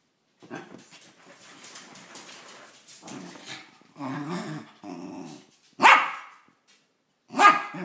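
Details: Vinny, a Cairn Terrier mix up for adoption in the SF Bay Area, gives several low, rumbling growls in uneven bursts, then two sharp, loud barks with a pause of over a second between them.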